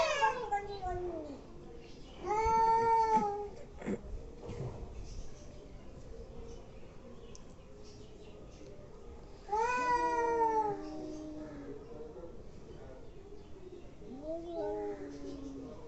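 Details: Angry domestic cats making weird noises: two long, loud moaning yowls about seven seconds apart, each rising then falling, with a shorter softer wail at the end and quiet gaps between.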